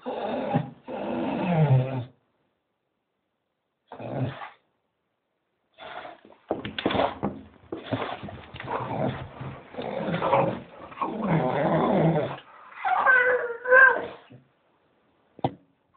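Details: Staffie making noisy growls and moaning vocalizations while waiting for a walk, with a Doberman also joining; indoor bursts separated by silences, building into longer rough grumbling, then a few higher whining yelps near the end.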